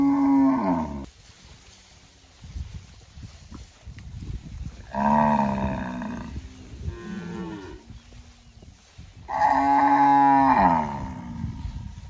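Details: Cow (Bos taurus), moo.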